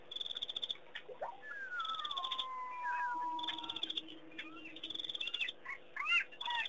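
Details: A chorus of distant jackals at Pete's Pond, Mashatu Game Reserve, Botswana, on June 6, 2009, wails in long sliding howls and wavering yips over steady, pulsing cricket chirps.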